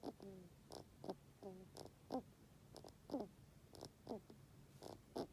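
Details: Kira, a bedridden pet rabbit about thirteen years old, whose overgrown teeth irritate the nasal tear duct and cause a constant runny nose, makes snore-like breaths to ask for food or stroking: wheezy, squeaky rasps about once a second.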